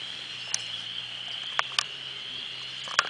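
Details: Frogs on a Sunday morning nature walk, April 5th, 52 degrees: a steady piercing trill chorus with a few sharp clicks and pops standing out above it at irregular moments.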